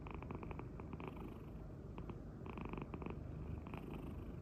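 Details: Munchkin cat indoors in a kitchen in Korea, purring as a steady low rumble throughout, with short bursts of clicking or tapping noises in the background.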